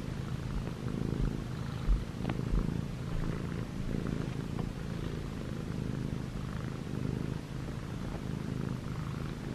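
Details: Six-month-old male white and gray Munchkin short-legged cat purring while kneading on pajamas indoors; steady low rumbling purr with rhythmic breathing pulses, faint rustling of fabric.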